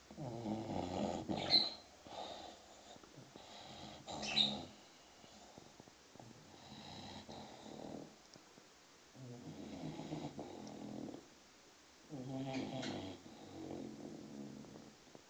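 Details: A 6-month-old English Bulldog puppy asleep, snoring in regular rough, buzzing breaths about every two to three seconds, with scattered chirps of noisy birds in the background.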